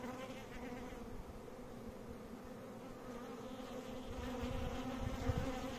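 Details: Bees buzzing in a steady, low droning hum with layered overtones, the tone holding even throughout and growing slightly louder toward the end, with low rumbling underneath.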